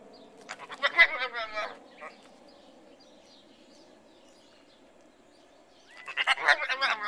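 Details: Goat bleating: a wavering, harmonic bleat around the first second, then quiet, then a second bleat near the end. Faint background noise runs throughout.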